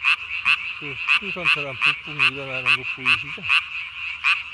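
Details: Japanese tree frog, recorded 3 May 2020 at night, throat sac blown up to body size, gives short bright rasping pulses roughly every half second, while several lower croaking calls slide downward in a cluster beneath it.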